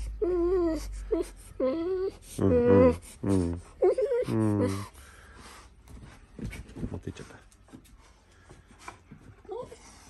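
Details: Golden Retriever "talking" in the morning indoors: a few drawn-out, wavering whine-howls with sliding, wobbling pitch in the first five seconds, then quieter murmuring sounds in a small room.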